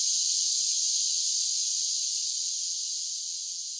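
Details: Cicadas singing in summer: a bright, high continuous buzz that starts loud and gradually fades over the final seconds, with no other sounds present.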